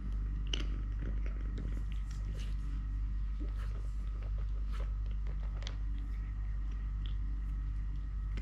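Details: Totoshka, a three-legged pet cat, purring while having food: a continuous low, rumbling drone held steady throughout, overlaid with soft irregular chewing and biting clicks indoors.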